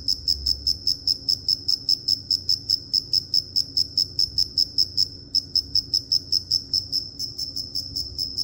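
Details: Cricket chirping in a steady run of short, high pulses, about two or three per second, each a bright narrow tone with a brief pause near the five-second mark; faint low background rumble underneath.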